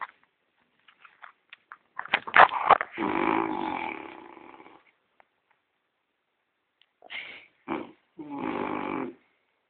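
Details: French Bulldog Gordon asleep and snoring: a burst of clicks and snorts runs into a long rasping snore, then after a pause come shorter snorts and another drawn-out rattling breath.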